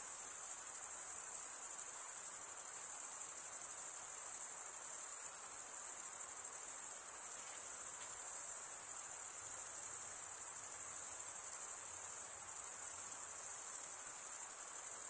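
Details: Dense cricket stridulation forming a sustained high-pitched ringing trill with slight swells in loudness, faint low rumbles in the background.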